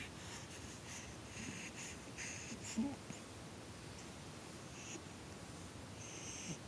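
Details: Little black pug named Cola sleeping on her back indoors, snoring in soft raspy wheezes, a few breathy bursts spaced about every second early on, then quieter snuffles, over a low room hiss.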